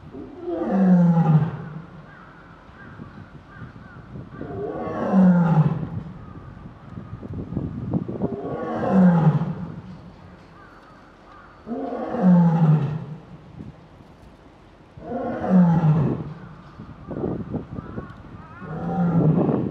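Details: Lioness at Higashiyama Zoo, Nagoya, 22 February 2023, responding to her son's calls from indoors: deep, moaning roars that fall in pitch, repeated about every four seconds.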